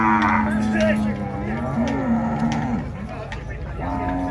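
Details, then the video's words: Loose bull at a cattle fair lowing in long wavering moos that dip and rise, mixed with music, guitar and crowd applause. "boi valente solto na feira do gado"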